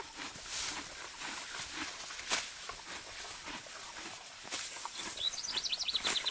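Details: Morgan horse mare grazing in an area of deep spring grass: steady crisp tearing and crunching of grass, with sharper rips every second or two and a brief chirping bird trill near the end.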